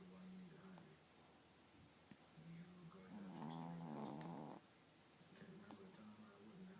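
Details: A chihuahua puppy asleep and snoring: a single drawn-out, gravelly snore lasting over a second midway through, surrounded by soft, steady wheezing breaths.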